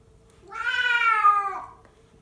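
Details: Two male pet cats fighting indoors, one a fluffy white cat, giving rough cries: a single drawn-out harmonic yowl lasting about a second, rising slightly and then dropping at the end, over a faint steady background hum.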